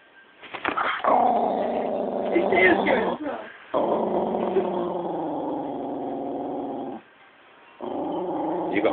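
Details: Jack Russell Terrier growling aggressively whenever its owner's brother is around, not its usual behaviour; long, continuous, rough low rumbling growls in three sustained stretches separated by brief pauses, with people talking nearby.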